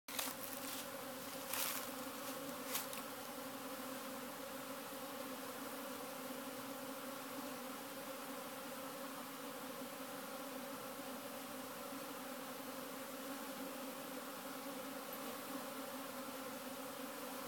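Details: Honey bees hurrying out of the hive when the sun comes out on a cool spring day, a dense continuous droning buzz with steady layered hum bands, a few sharp clicks near the start.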